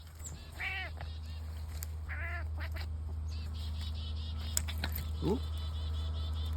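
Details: Male F4 Savannah cat birdwatching, locked onto chickadees, gives short, nasal, duck-like cackles over a steady low hum.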